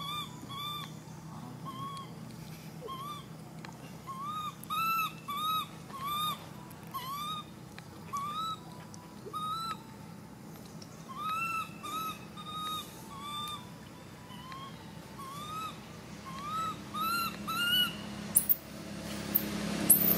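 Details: Baby monkey screaming: a long series of short, clear, arched cries, each rising then dipping, repeated roughly twice a second with brief pauses, ending in a few sharper, higher squeaks over a steady low hum.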